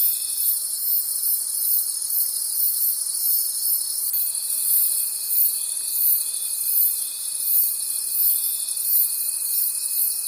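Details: Crickets calling at night in a forest: a dense, high shimmering chorus pulsing about three times a second, with a thin steady whistle-like trill that switches on partway through and continues to the end.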